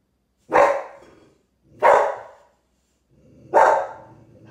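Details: Dogs in the Philippines barking as they react to seeing a carabao for the first time: three loud, sharp barks, each spaced about a second and a half apart, with near silence between them.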